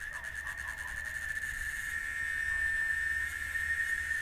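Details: Cicada (chicharra) from Oaxaca, Mexico, keeping up a continuous high buzzing whine at one level pitch, swelling slightly louder midway, with a quiet low background hum.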